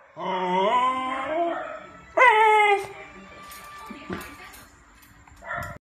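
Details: A fierce Beagle puppy answers the neighbour's barking dogs. It gives a long wavering howl, then a loud, rising yelp-like bark-howl, a quieter lull, and a short bark at the end.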